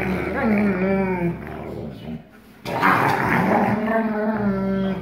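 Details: Two wolfdogs play-growl and snap on 1 August 2018, a black-phased 44% wolf father showing dominance over his 56% wolf son, with long, wavering, throaty tones that rise and fall.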